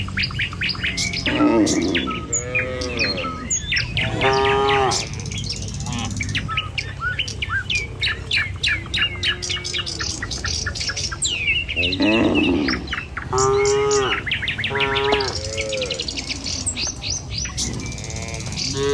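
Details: Village cattle herd walking the road to its pen in the morning. Several moos, some short and some drawn out, rise from a dense chorus of chirping birds that dominates much of the stretch.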